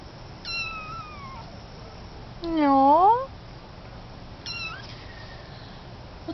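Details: Kitten meowing indoors, recorded August 2011: a drawn-out falling mew, a loud rising-then-falling mid-pitched meow, then a short high mew, with quiet human speech in the background.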